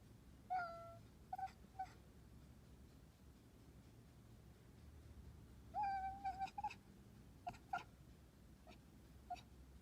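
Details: Kitten chirps, quiet and high-pitched: short level trills and clipped chirps in small clusters, several in quick succession near the middle, over a faint low hum.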